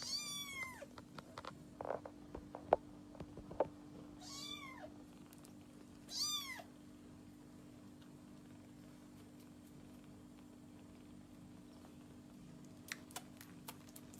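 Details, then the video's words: Kitten giving three high, arched meows in the first seven seconds, then mostly quiet with a low steady hum and a few faint clicks. "Cute Kitten Meowing and making adorable noises"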